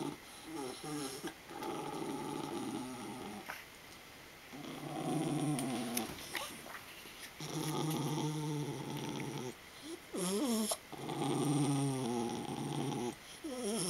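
A miniature schnauzer gives rough, throaty growls that break off in choked, snorting gasps.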